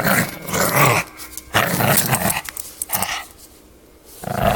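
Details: Pug puppy growling while playing tug of war with a toy indoors; rough, noisy growls in bursts of about a second, broken by short pauses and scuffling of the toy.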